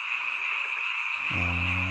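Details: Frogs calling together at night in a mountain village, a seasonal chorus heard only at this time of year: a dense, steady trilling band of many overlapping voices, joined near the end by a low humming tone.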